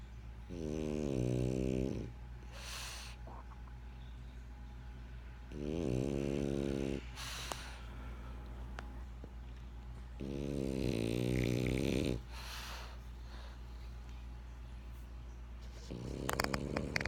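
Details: French Bulldog named Benjamin snoring while asleep: rhythmic rattling inhalations about every five seconds, each lasting over a second, followed by breathy hissing exhalations, with a steady low hum in the background.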